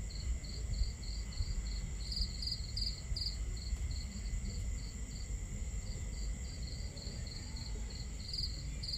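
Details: On a starry night, crickets give a high, even chirp repeated in quick regular pulses several times a second, over a steady low rumble of crackling campfire and flowing water.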